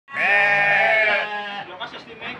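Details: Goat kept as a sacrificial animal for the Qurban feast, filmed as funny entertainment for children; one long harmonic bleat lasting about a second and a half, then a quieter, rough, broken tail of sound.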